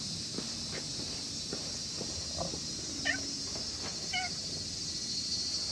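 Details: Stray cat in the grounds of a shrine in the evening, growing friendly: two short, tonal meows about a second apart, rising then falling, over a steady high insect chorus with soft footsteps and rustling.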